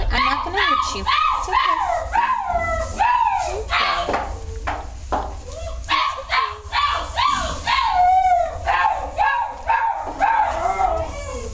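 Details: Dog mother with her puppies at a shelter; high-pitched, arching whines and yelps tumble out in rapid overlapping bursts, several per second, with brief pauses near the four- and six-second marks.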